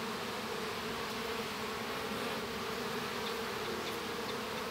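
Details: Inside a hive during the hatching of a baby honey bee, Western honey bees give a steady, low droning hum that never breaks.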